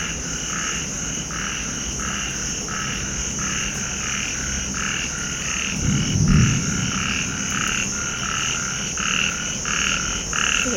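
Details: Frogs croak in a steady chorus of short, rasping calls repeated about twice a second, in the evening during rain and lightning.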